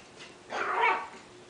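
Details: Miniature Schnauzer giving a single drawn-out, harsh bark lasting about half a second over a steady background hiss in a small room.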